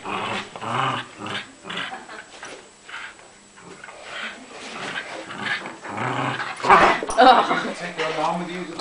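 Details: Angry Dachshund growling in rough, uneven pulses, building louder toward the end, with people talking over it.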